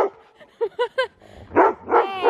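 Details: Siberian Husky with the zoomies in the snow: three short evenly spaced yips, then two louder harsh barks with a drawn-out tail.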